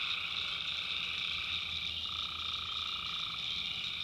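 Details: Swamp at night in the North Carolina backwoods, where tree frogs keep up a thick, steady high-pitched chorus; a lower voice joins for about a second and a half midway.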